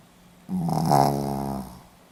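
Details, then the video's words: Snoring Pomeranian, recorded 4 November 2015 in Hiroshima: a single drawn-out nasal snore swelling and fading over about one second, buzzy with rich harmonics, in a quiet indoor room. "ポメラニアン 犬のいびき"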